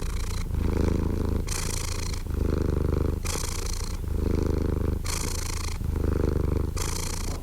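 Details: Slow, relaxed purring from a cat: a deep drone rising and falling with each breath, about one and a half seconds per cycle, in a quiet background.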